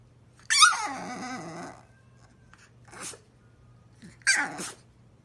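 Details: Blue-eyed French Bulldog sneezing while talking indoors: a long, wavering, whiny vocal grumble, then two short breathy bursts spaced about a second apart, with a steady low hum behind.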